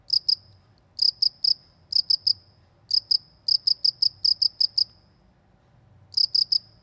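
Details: ['Rural cricket call, high ringing chirps in short clusters of two to four, then a longer run of eight quick pulses, a pause, and a closing trio, with soft low-frequency ambience.']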